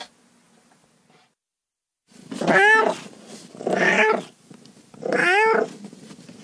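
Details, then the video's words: Cat uttering three harsh, drawn-out wailing meows, each lasting about half a second to a second, over a steady low background hum. "30 minutes of Cats' Meow"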